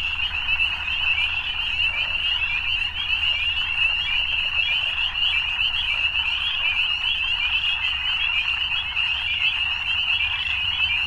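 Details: Frogs at evening keep up a thick, unbroken chorus of shrill, pulsing trills, level in loudness, over a faint low hum.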